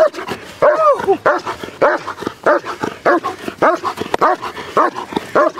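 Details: German Shepherd doing protection work gives a fast, steady run of about ten deep, forceful barks in under six seconds, some with a whining rise at the start. Short pauses separate the barks.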